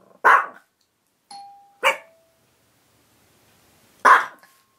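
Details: Kasumi the Chihuahua does her doorbell barking, copied from the dog Koko: a sharp bark, then the ding-dong chime, then another quick bark and a final loud bark after a pause.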